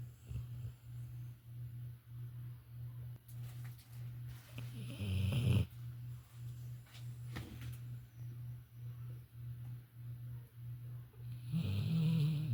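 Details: Violet, a female Labrador Retriever, sleeping and snoring: a low, steady rumble pulsing several times a second, broken by two louder, rougher snorts near the middle and at the end.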